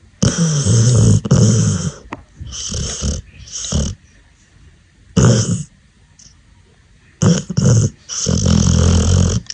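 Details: Sleeping Pit Bull puppy snoring in rough, rumbling bursts, each breath a low, raspy rattle, coming in irregular runs with quiet pauses between.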